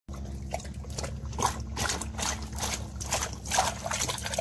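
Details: Great Dane named Glock drinking from a bucket, dunking his whole face into the water; wet slurping splashes and trickles come about twice a second over a low steady hum.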